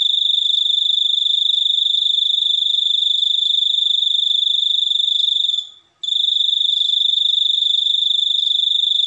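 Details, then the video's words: Continuous high-pitched cricket trill, an even pulsing ring held for nearly six seconds, a short fade into silence, then the same shrill buzz restarting to the end. "suara jangkrik super unik"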